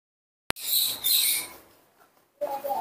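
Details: Sick newborn baby monkey, its illness returning, crying in the morning while kept and cared for at home. After a sharp click comes a high, strained squealing cry lasting about a second, then a person speaks softly nearby.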